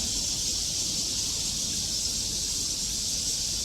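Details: A dense chorus of many crickets makes a steady, high, shimmering hiss with no break, in hillside forest by Treasure Hill temple in Taipei, Taiwan, under a clear sky.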